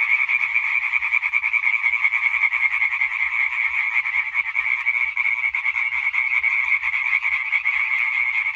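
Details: European tree frog chorus from 20 May 2023: loud, continuous rapid-fire croaks from many frogs blending into a relentless pulsing rattle, slightly swelling and fading in intensity.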